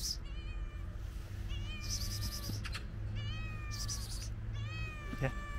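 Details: Female cat in a park, searching for food behind a fence and meowing after sensing food in a backpack; four long harmonic meows, level then slightly falling, spaced about 1.5 seconds apart, with low background hum and rustling.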